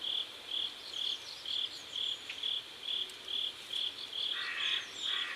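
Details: High, clean cricket chirps repeated very regularly about twice a second at a South Korean riverside at sunset, with low rough rattling bursts joining in the final second.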